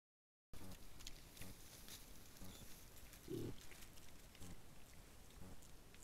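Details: Wild boar at a rubbing post, recorded by camera trap, give low, short, pig-like grunts against a quiet background of rustling.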